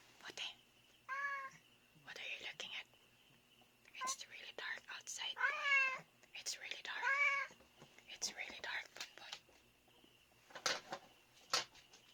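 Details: Pet cat at night around 3:32 AM, fixed on something outside a dark window; a few short and longer wavering meows, mixed with soft whispered human speech and light handling noises indoors.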